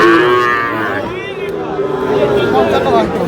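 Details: Sahiwal bull calf being bought by a Comilla farmer, 21 February 2026: a loud, drawn-out harmonic moo that wavers in pitch over three seconds, with bargaining voices and crowd murmur behind it.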